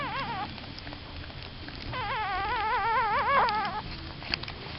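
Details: Newborn puppies with a mother dog, eyes not yet open, whimpering in wavering, warbling cries, one short cry early then a longer quavering run of overlapping whines mid-clip, with faint rustling and a woman speaking softly.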